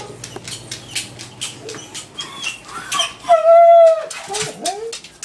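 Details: An adopted female beagle mix, about 2 years old, howls while her owner's mother is away, possibly from stress: a loud, steady howl, then a shorter rising wail after scattered rustling noises.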